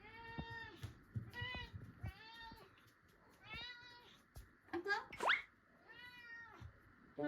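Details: Indoor cat meowing at dinnertime after play, during a sudden odd bit of behaviour: about six clear, drawn-out harmonic meows, some rising then falling, over several seconds, while a woman speaks Japanese nearby.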